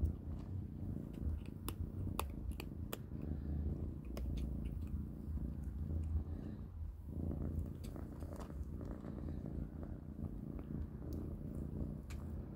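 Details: Three kittens, Panda, Grayie and Goldie, eat a big dinner of cat kibble; a continuous deep purring drone underlies scattered crisp chewing clicks, with no other animals heard.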